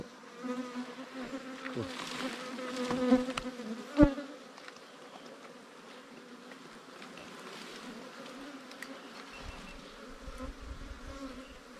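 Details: Small wild bees from a hive in an underground cavity or termite mound, stirred up during a raid. A low, steady drone holds throughout, overlaid by scattered clicks and one sharp knock, fading quieter in the second half.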